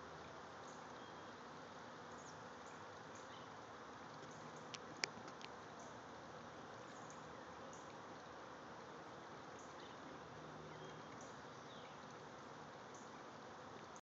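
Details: A Western honey bee (Apis mellifera) swarm, the hive's third of the season, clusters about 20 feet up in a redbud tree, giving a steady, dense, low buzzing hum of many wingbeats.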